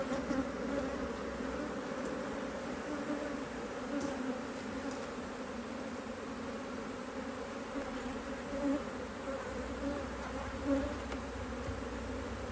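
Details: Honey bees at a HiveIQ beehive in Australia, mid-Autumn 2023, during fine weather while the hive is opened to add a box of empty frames; a steady droning hum with a low buzzing band and occasional louder passes of single bees.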